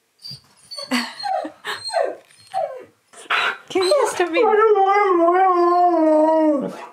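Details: Siberian Husky at home, excited about a friend's visit, howls after a woman's speech: a long, wavering, tonal cry rising and falling with rich harmonics for about three seconds.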